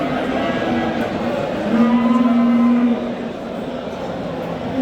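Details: At a livestock market in Qorasuv, Andijan region, a Simmental bull being sold gives one low, even moo held just over a second, amid a steady murmur of voices and crowd noise.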